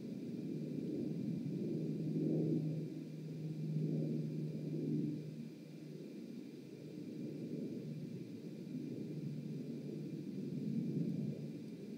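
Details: Only a low, steady hum and soft rumbling wind-like noise, swelling and fading, with no clear animal calls.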